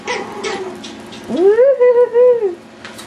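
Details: Yorkshire Terrier puppies at wild play: brief yips at first, then a long wavering whine that rises and holds a steady pitch for about a second before falling away, then a faint yip.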